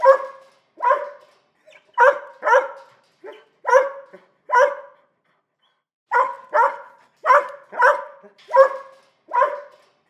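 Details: Repetitive barking from a small dog: clipped, ringing barks mostly paired, a lull near the middle, then a steady run of six more barks in a quiet setting.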